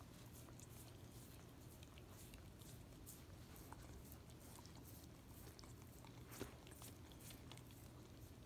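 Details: Peanut butter licked off a foot by a Miniature Australian Shepherd, giving a steady run of wet slurping clicks, one louder smack near the end, and a low background hum.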